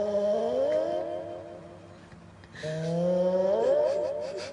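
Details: Pet cat snoring smoothly indoors: two long tonal drawn-out breaths, the first sliding upward and fading, then after a pause a second louder one rising with a wavering, humming quality.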